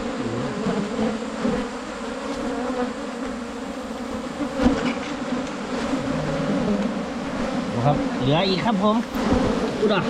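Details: Wild Asian honey bees found during a 2022 honey-hunting trip: a dense, steady droning hum with men talking over it and brief tapping sounds.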